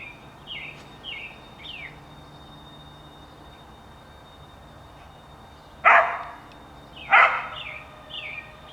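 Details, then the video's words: On 28 April 2019, a dog gives two sharp, loud barks about a second apart, while American robins keep up clear, whistled, slurred song phrases before and after. "American Robins Singing And A Dog Barking As Well"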